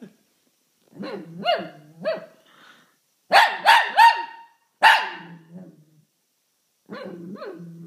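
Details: Shih Tzu barking and howling when someone sneezes; softer yelping notes lead into a loud burst of three quick barks, then a single bark and a quieter drawn-out whine near the end.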